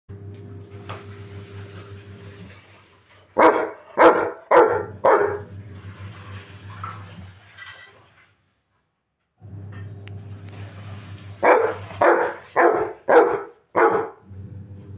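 A Rottweiler puppy gives two quick bursts of sharp, fairly high barks over a steady low hum.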